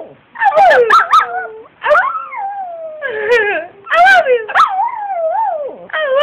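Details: Female Brussels Griffon, two years old, called Addy, reacting to high-pitched howls with rich, wavering howls. Each howl slides downward, interrupted by quick yelps, in several outbursts over a few seconds.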